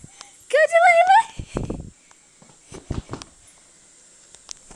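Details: Female Siberian Husky puppy playing wildly, letting out a rising, wavering whine-like yowl of about a second, followed by scuffling thumps and soft footsteps.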